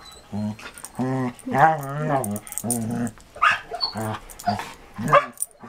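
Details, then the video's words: A Samoyed named Marco Polo and a Border Collie named Cisco, adopted from a rescue, in rough play during 2014; long, wavering growl-howls in a low harmonic voice, repeated about once a second, ending in quick sharp yelps. "Marco Polo (Samoyed) and Cisco (Border Collie) Playing in 2014"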